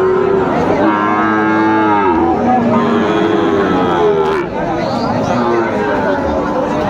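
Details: Sahiwal cattle at a cattle market in Comilla, Bangladesh, where bulls and calves are being sold, 19 September 2024; a long, low, drawn-out moo slides down, then further lowing overlaps with a busy crowd and men's voices.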